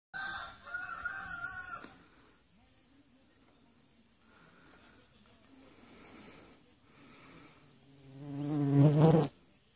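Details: Bull Terrier puppies playing on a farm in the afternoon give a high, wavering whine, then a lower buzzy grumble rising near the end.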